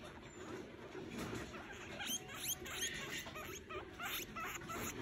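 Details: Baby mouse calling: faint, thin, high chirps that sweep upward, given in quick irregular succession over a steady low hiss.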